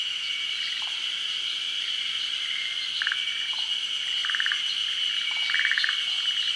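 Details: Forest green tree frogs spawning at midday over still water in Japan's rainy season. Several brief rattling pulse bursts come at uneven intervals and grow louder toward the end, under a continuous high-pitched insect chorus.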